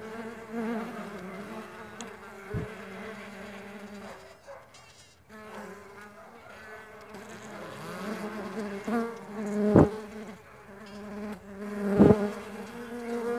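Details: Buzzing of farmed stingless bees: a droning hum that fades out briefly midway and then returns, with several sharp tapping knocks scattered through the recording.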